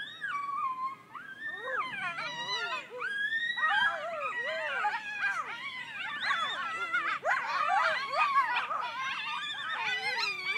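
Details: Wild coyotes in Griffith Park howling together, sounding as if something was being killed: many overlapping wavering, sliding yips and wails rising and falling, dense and continuous throughout, with quiet background hum.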